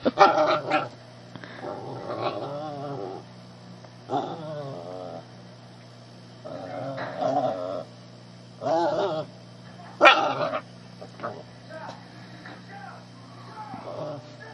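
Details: Young shih tzu pestering a tolerant cat indoors: a series of wavering, gargly growls and brief whimpery yips, spaced every one to two seconds with quieter gaps, a constant low hum underneath.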